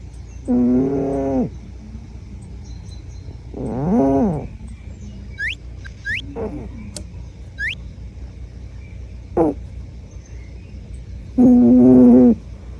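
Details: Myu, a female brown-and-white Scottish Fold born 23 February 2009, snores while asleep: loud buzzy harmonic snores of about a second each, at irregular gaps, with shorter fainter snorts and a few faint high rising chirps between them.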